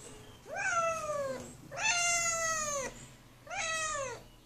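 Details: Kitten named Tucker, closed in a small bathroom and asking to get out, meows three times: long, strained cries that bend downward, the middle one longest, over a low steady indoor hum.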